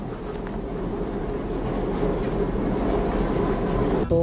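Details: A constant low rumbling, like a train or other vehicle, fills the recording, with faint speech mixed in and no animal calls.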